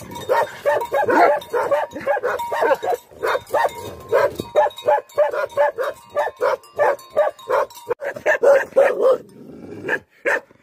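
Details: Bhote Kukur, the Tibetan Mastiff of Nepal, barking angrily: a long unbroken run of quick, harsh, evenly spaced barks, roughly three each second, easing into a lower growling tail near the end.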